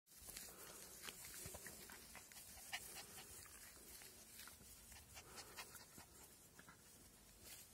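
Cairn Terrier puppies panting and snuffling in quick, breathy bursts, with soft squeaks now and then.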